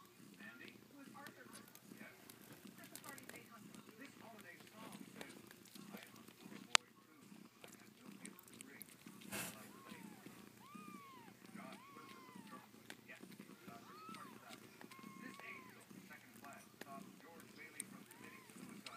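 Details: Siamese kitten fighting a sibling; a few short, arched mews that rise then fall, scattered through the second half, over steady crackling hiss with one sharp click and a brief rushing burst.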